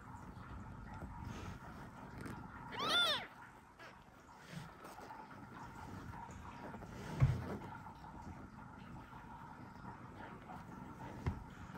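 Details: Kitten just one hour old meows indoors to call its mother cat, not yet able to drink milk; one brief high meow early on, then quiet room noise with a few soft knocks.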